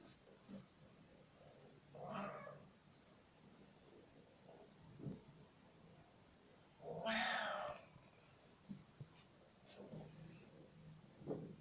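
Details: Oriental and Siamese cats giving quiet, scattered vocalizations: a short harsh call near two seconds and a louder, broad, raspy yowl around seven seconds, with faint low sounds in between and an otherwise quiet background.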